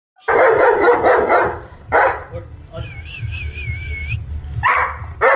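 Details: Working line German Shepherd in India giving loud, harsh barks in short bursts near the start, middle and end, with a wavering whistled tone between them.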